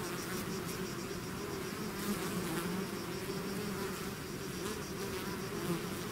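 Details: A swarm of bees out of its hive fills the air with a dense, steady buzz, low hum bands layered under a broad hiss, individual wingbeat tones drifting slightly in pitch as bees pass close.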